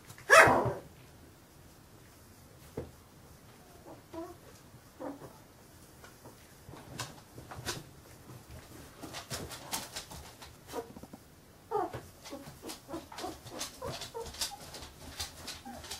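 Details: Fifteen-day-old Carolina Dog puppies indoors: after a sharp knock, thin high squeaks and whimpers come and go, then a denser run of short harmonic squeals from about twelve seconds on, over soft rustling.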